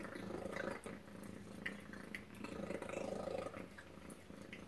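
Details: At breakfast, the house cat Tacy purrs in a rapid, pulsing rumble that holds steady with slight swells, accompanied by soft clicking and small ticking noises nearby.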